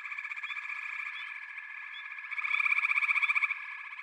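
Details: Backwater chorus of frogs, a continuous droning trill layer; partway through, one close caller gives a loud, rapid, machine-like pulsed rattle lasting about a second, over faint upswept chirps.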